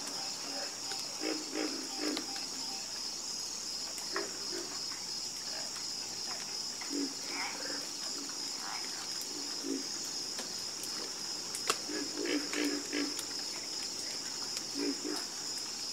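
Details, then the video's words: Frogs croaking in chorus, with scattered low, buzzy notes that come in loose clusters and sometimes pause for several seconds, all over a constant shrill insect hum. "Calming Sound Of Harmonious Frog Croaking"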